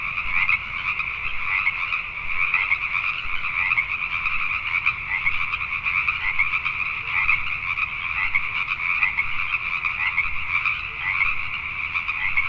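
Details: Many Pacific tree frogs croak together after dark in Richmond, British Columbia, Canada, their calls blending into a constant pulsing chorus with no pauses and only slight swells in loudness.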